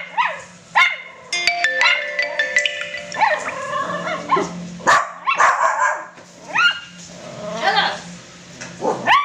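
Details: Pet poodle-cross puppies bark and yelp in high, rising yips, mixed with tonal music and some voices in the background throughout.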